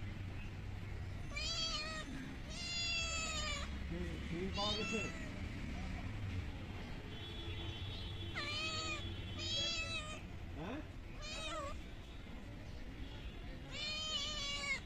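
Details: Hungry stray kittens fed small raw fish caught from a pond meow repeatedly, loud bright cries with rich overtones coming in bursts every second or two, amid chewing and rustling noises.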